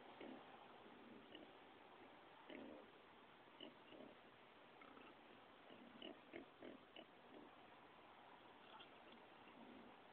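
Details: Four wild boar caught overnight in a cage trap at dawn give rough, irregular grunts and short squeals, calling close together while awaiting collection; wild boar.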